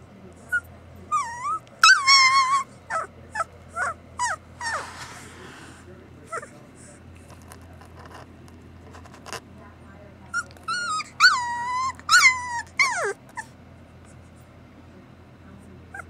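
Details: Samoyed puppies giving bursts of high, wavering whimpers and yelping yips, rising and falling in pitch, in two clusters separated by a quiet stretch with faint background murmur.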